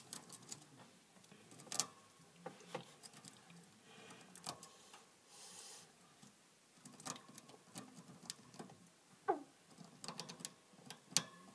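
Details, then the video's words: Pet hamster eating indoors: irregular crisp clicks and crunchy nibbling bursts, sometimes clustered, with short quiet gaps between, against a quiet room background. "Hamster can be noisy while eating"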